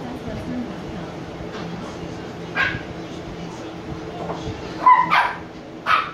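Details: Sleepy 86-day-old Shiba Inu puppies Niro and Kyno; soft low murmuring, then a few brief high yips and barks clustered toward the end, the last two close together.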